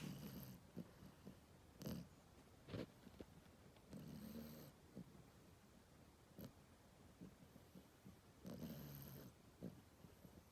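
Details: A sleeping 16-week-old French Bulldog puppy snores in the morning, low rattling rumbling bursts with each breath, and quiet wheezy snuffles and brief snorts between the louder rasps.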